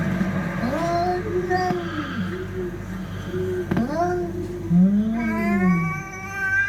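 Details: Cats fighting, giving low, drawn-out moaning growls that bend up and down, with a sharp higher wail near the end and a steady low hum behind.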